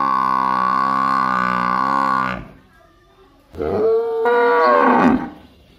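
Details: A village water buffalo gives a long, steady, low moo, then a shorter wavering call after a pause.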